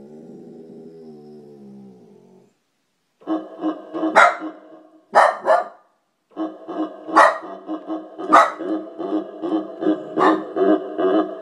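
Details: A dog reacting to keyboard sound effects, which it hates, growls low, then breaks into a run of sharp, irregular barks.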